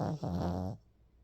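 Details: A sleeping Pomeranian dog snores once: a low, buzzy, rattling breath lasting under a second with a brief catch near the start, then quiet.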